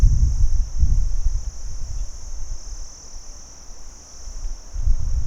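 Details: Insect chorus of crickets in daylight: an even, shrill, sustained trill runs throughout, with soft low rumbles swelling at the start and end.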